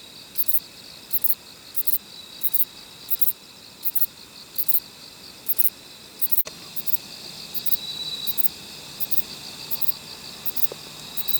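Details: Kobane-himegisu bush cricket, a short-winged katydid, singing around a park in Niigata, Japan: brief raspy high buzzes about every 0.6 seconds, with a sharp click midway and a fainter second insect tone joining later.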